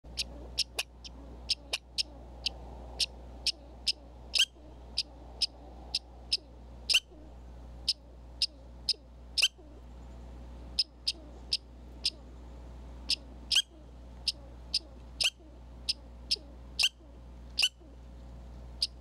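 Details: Red squirrels at a Minnesota feeder in winter give sharp, high chipping calls, repeated about once or twice a second; vehicles a block away may be audible.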